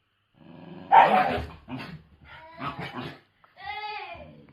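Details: White Shiba Inu, one of two named Mochi and Kome living deep in the mountains, in an angry outburst: rough growling and snarling bursts, then a tonal whine-like bark rising and falling near the end.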